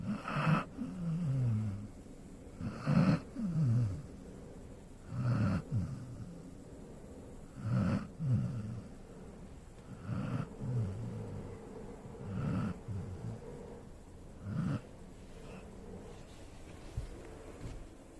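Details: Golden Retriever asleep and snoring, with deep throaty rasps recurring about every two and a half seconds, some breaths ending in a descending wheezy groan, others short snorts; quiet room between breaths.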